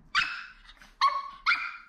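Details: Maltese puppy on its 13th day after birth crying indoors: three short, piercing whiny yelps, one at the start and two close together about a second later, each sliding slightly in pitch.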